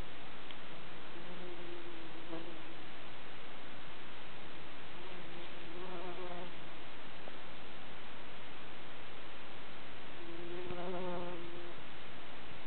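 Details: On Midsummer night in the Kivijärvi wilderness on the barren, flower-poor Tammela upland, a bumblebee's low, droning buzz rises and fades as it passes close three times.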